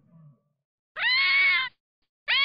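A fox gives a harsh, drawn-out scream lasting under a second, then starts a second scream. A brief low voice is heard just before.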